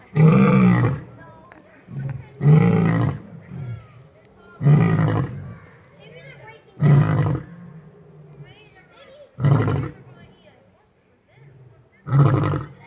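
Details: A lion at an exotic feline rescue gives deep, booming roars about every two seconds, each a low, rough burst.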